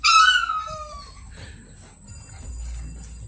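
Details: Two-month-old American Bully puppy from a litter of eleven born January 3, 2021, giving one sharp, high whine that slides steeply downward over about a second, followed by quiet room noise and faint hiss.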